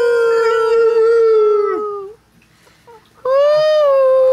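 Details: Three-week-old Chihuahua puppies howl along while people howl with them; a sustained, steady high-pitched howl lasting about two seconds, a short quiet gap with faint sounds, then a second howl that rises slightly and holds steady.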